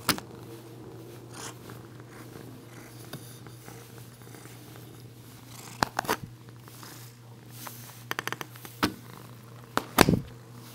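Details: Female Bengal cat Tobi purrs as she is brushed in a small room; a soft continuous purr runs through, joined later by bursts of scratchy brushing and clicking noises over a steady low hum.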